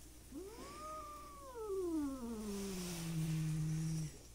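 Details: A fighting stray country cat, part of a repeat standoff between two cats, gives a drawn-out harmonic yowl-growl. It rises briefly, then sinks slowly into a long, low, sustained moan lasting several seconds.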